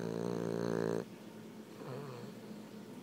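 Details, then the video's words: Boston Terrier Kimbo asleep with eyes open, snoring just a little: one loud, rich buzzing snore lasting about a second, then a softer, rougher breath follows in a quiet indoor room. "my Boston Terrier, Kimbo.. snoring"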